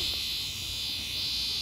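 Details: Screaming cicada found up close: an unbroken, shrill, high buzzing drone holding steady at one pitch for the whole short stretch, with no other sounds.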